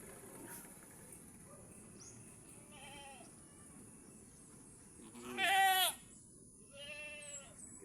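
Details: Doe goat in difficult labour, helped by a person pulling out her kid; two quavering bleats, the first loud and rough, the second softer and longer, after a quiet stretch with faint background noise.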